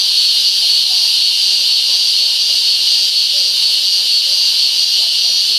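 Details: Song of a Taiwanese cicada, a continuous high, hissing buzz held at an even level without pauses from start to finish.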